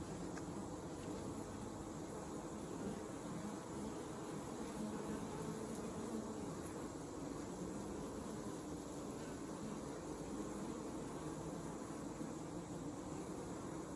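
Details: A honey bee hive on a hot summer evening, 8 August 2020, on a farm in Alexander County, North Carolina: a steady, low, droning hum of many wings blending into one continuous buzz.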